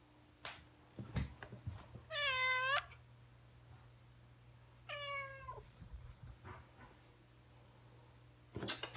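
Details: Stray cat being fed and befriended, giving two drawn-out meows: a loud, strained wail dipping at its end, then a shorter bending meow a few seconds later, with soft thumps and a steady low hum behind.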